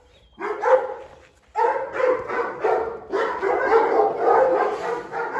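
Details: Chained Presa Canario Xiuluo guarding a dish of chicken carcasses: a short pause, then long rough barks running almost continuously, some stretched into growly, sustained outbursts that stay loud to the end.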